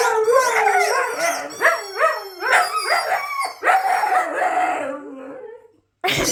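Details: Pet Siberian Huskies howling in response to their squeaky toy, a run of short, bending howl notes that rise and dip quickly one after another, fading out before a brief final burst.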